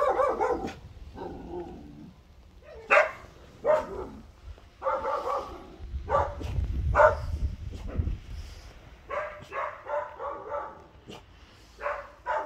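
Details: Bernese Mountain Dog puppy named Josef, born 17 October 2020, making his first attempts at barking: scattered short, rough yips and barks at irregular intervals with pauses and some low rumbling between them.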